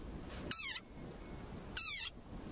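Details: Desert rain frog (Breviceps macrosus) gives two shrill, squeaky cries, each about a third of a second long, like a dog toy; a war cry from a very angry frog.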